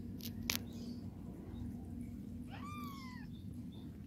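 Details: House cat mother grooming her babies, helping them urinate. Early soft clicks and a sharp tap, then one falling, drawn-out meow near the end over a constant low hum.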